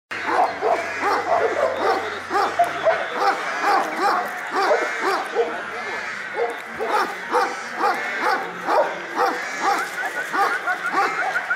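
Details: Šarplaninac dogs at a Sarplaninac special dog show in Smederevska Palanka on 25 March 2012, several deep barks overlapping in an irregular chorus about twice per second, with a low hum early on.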